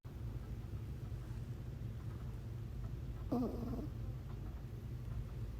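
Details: Pug puppy asleep, snoring softly: a low, continuous rumbling breath throughout, with one short, higher snort or squeak about midway before the steady rumble resumes.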